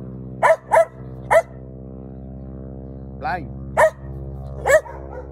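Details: Female Koolie collie barking at a biplane flying over a yard during the ANZAC Day ceremony in Kingscote, Kangaroo Island, on April 25, 2023; trained to bark at aircraft. Five sharp barks, three quick then two spaced, over a steady engine drone.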